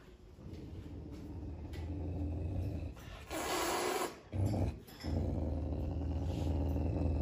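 A caracal growls low and rough, in rumbling bursts broken by short pauses.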